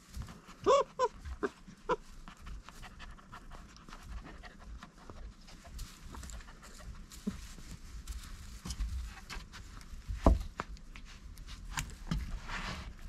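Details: Tame red fox kept at a village home in spring, growling during a tug of war over a toy hare: a low, continuous rumbling growl with brief louder voiced bursts near the start and a sharp thump later.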